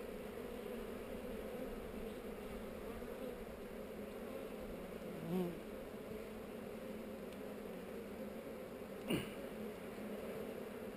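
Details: Honey bees on heather during a hive inspection filmed with a GoPro: a steady, dense hum of many bees droning low and even throughout, with a brief sharp knock near five seconds and another near nine seconds.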